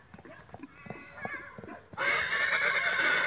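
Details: Young Lusitano horse, 20 months old: scattered soft knocks and clicks, then a loud, bright, sustained whinny that starts abruptly and holds steady to the end.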